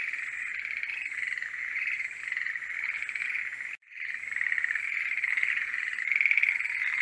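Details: A chorus of forest green tree frogs in mating season: steady overlapping rattling croaks that break off in a brief silent gap midway, then resume and swell toward the end.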